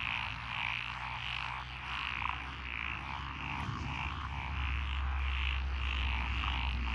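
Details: Frog chorus in lotus paddy fields, Echizen City, Fukui Prefecture, Japan, June 12, 2021: fast rhythmic croaking, about four pulses per second, layered over a loud, low droning hum.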